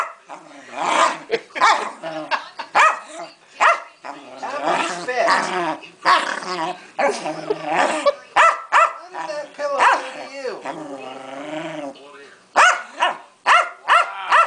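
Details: Pancake, a beloved Keeshond, throws a royal hissy fit: a dense run of harmonic growl-whines and short barks with few pauses, overlaid by human speech and laughter.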